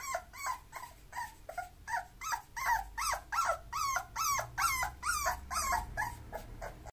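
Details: Bulloxer, a mixed-breed dog, whimpers continuously with short, pitched yelps, about two or three per second. Each note swoops up and falls off, and the sequence stays fairly even in loudness against a soft low rumble.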